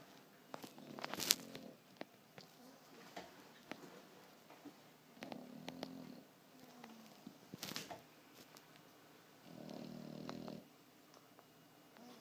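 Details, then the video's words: A 4-month-old French Bulldog puppy in deep sleep snores loudly in soft, raspy bursts, each breath a low rattling rumble. "Cute French Bulldog Puppy Snoring"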